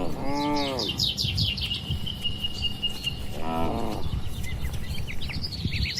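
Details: Dozens of farm cows in a large barn: a short falling moo at the start and another about three seconds later, while birds chirp and trill steadily in the background.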